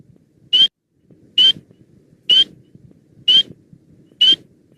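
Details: A spring peeper gives loud, high, upslurred peeps, one clear note a little under every second; in spring this call is heard loudly in huge choruses.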